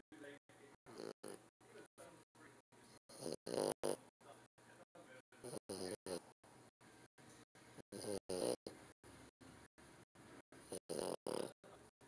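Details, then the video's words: French Bulldog snoring: rough, grunting, snort-like snores come in bursts every two to three seconds, with quieter raspy breathing between them. "French Bulldog snoring"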